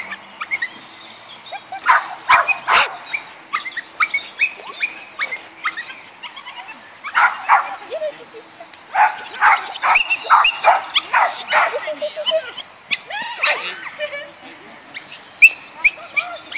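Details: Agility session with the Yorkshire Terrier Linus: clusters of shrill rapid barks and yips, a quieter stretch midway, then another dense volley, with people talking throughout.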